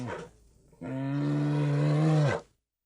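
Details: Spectacled bear of Argentina: a brief call fades out, then one long, steady, low, harmonic moan holds evenly for about one and a half seconds before dropping off abruptly.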